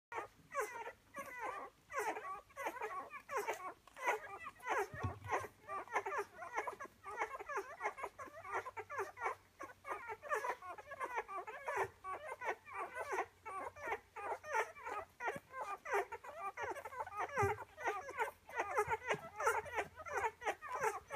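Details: Litter of ten-day-old Rhodesian Ridgeback puppies feeding eagerly at their mother's teats: a constant busy chorus of tiny squeaks, grunts and suckling noises, with a low steady hum in the background.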